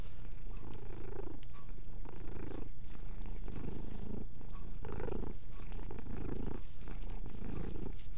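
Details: Pet cat Mia purring while she cleans herself indoors; the rumbling purr swells in rhythmic pulses about once a second, alongside light grooming sounds.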